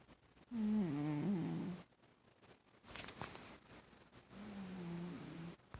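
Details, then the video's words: A heavy domestic cat snoring indoors. Two breathy, tonal, humming snores waver and dip in pitch, with a short rustle between them and a quiet background. "Snoring Cat"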